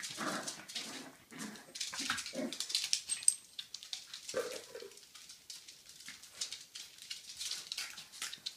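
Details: Jack Russell terrier puppy giving a quick run of short, muffled growls roughly twice a second, then a longer grumble, followed by busy scratching and rustling noises.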